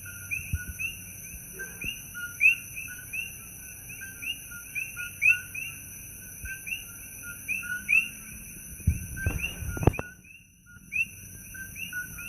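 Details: Night chorus of many coqui frogs at Holualoa, Kona Coast, Big Island, Hawaii, each giving quick two-part chirps that step up in pitch, overlapping continuously above a constant high hiss, with a brief low thump and rustle near the end.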